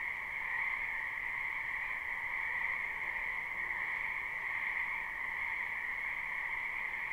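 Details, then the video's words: Live recording of a large frog chorus in a spring wetland behind a house: continuous overlapping croaking, evenly loud, forming a sustained two-tone drone with no gaps or other animals clearly heard. "Ambient Noise for Sleep Frogs"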